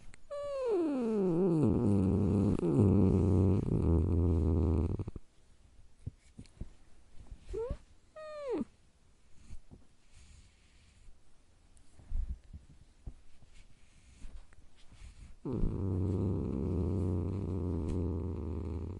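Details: Domestic cat growling: a wavering yowl sliding down into a deep, rumbling growl held for about five seconds, short rising whines mid-clip, then a second long low growl near the end; indoor quiet between.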